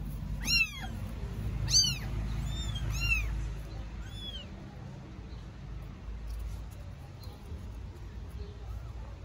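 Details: Newborn kittens in Istanbul cry loudly for their mother out of hunger, with five or six sharp, rising-falling mews in the first four seconds, then only low background rumble with no more calls.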